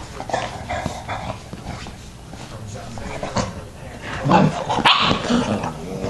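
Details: Yoda, a dog with his puppies, gives short growling barks and yelps in uneven bursts, loudest near the end, while people talk over the scene.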